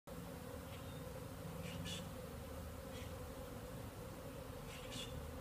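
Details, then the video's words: Many bees from more than one hive swarming the air at an apiary, possibly new bees on orientation flights, later calming down; a dense, steady droning hum of countless wings, with a few brief high chirps above it. "Bees Bees Bees in the air"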